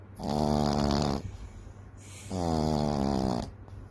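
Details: Daisy Fay, a Frenchton puppy (Boston Terrier and French Bulldog mix), snores loudly while asleep indoors: two drawn-out, rasping, harmonic snores, each about a second long, separated by a quieter breath.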